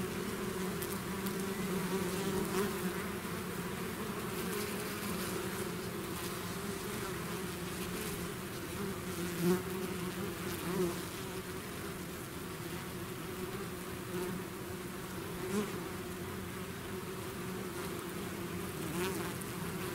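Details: Sustained buzzing from a swarm of bees that has left its hive, a constant layered hum with occasional closer wingbeats swelling and fading over twenty seconds.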